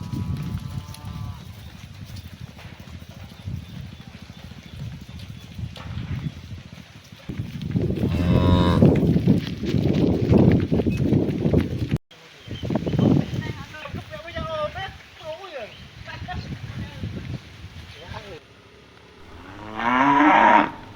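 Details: Several cows calling to one another on the afternoon walk back to the barn: repeated deep, drawn-out moos and bellows overlap, some rough and loud, others thinner, with a sharp, loud call near the end and steady rural noise beneath.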